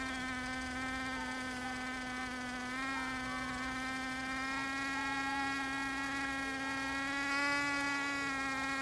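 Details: Bees in Finistère, Brittany, at France's western edge, seen not just foraging; an even, continuous buzzing drone holding a nearly constant pitch, swelling slightly louder near the end.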